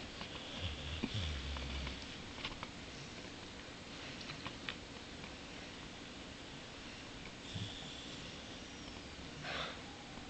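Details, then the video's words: Boxer dog Bowser snores in his sleep while dreaming, recovering from a throat operation: a low rumble early on, airy breaths in between, and further short snorts near the middle and the end. "Bowser the Boxer snores and dreams"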